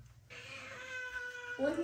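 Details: A frightened kitten being washed by a parent and daughter gives one long, steady, drawn-out meow with clear harmonics, ending as running water and handling noise rise.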